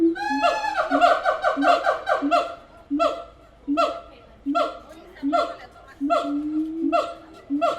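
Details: At the Tulsa Zoo, siamangs build from a fast burst of rapid rising whoops into slower, evenly spaced barking hoots that repeat about once a second, loud and echoing indoors.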